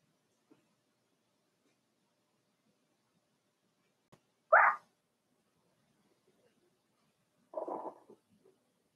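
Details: Indoor pen holding Daisy's four-week-old Cavalier King Charles Spaniel puppies: after near silence and a faint tap, one sharp, loud yip, then about three seconds later a second, rougher and slightly longer yelp.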